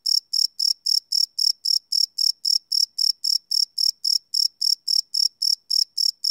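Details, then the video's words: Chirping crickets after dark, recorded live with a Sony PCM D100 field recorder; sharp, metallic, high notes pulse regularly, nearly four each second, each chirp equally loud, nothing else audible. "Cricket Chirp Sound - Cricket Sounds at Night"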